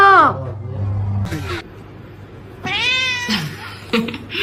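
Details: A kitten gives a brief high meow at the start, then after a quiet stretch a longer, bright, rising-then-falling meow, with a low steady hum and some background voices or noise between calls.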